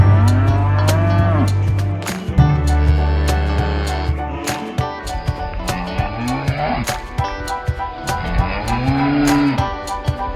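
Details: Cows at an animal market calling to their companions: several overlapping moos, some low and droning, others rising then falling in pitch, with frequent clatter and knocking from the busy market.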